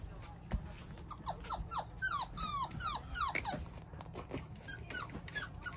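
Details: Beagle puppy whimpering indoors: a rapid run of short, high, downward-sliding whined notes, several per second, some reedy and doubled, with soft rustling and faint human voices behind.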